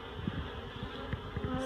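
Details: Honeybees buzzing inside a barrel packed with comb as they are moved to a new hive; a constant low drone with a few louder passing buzzes and faint handling knocks.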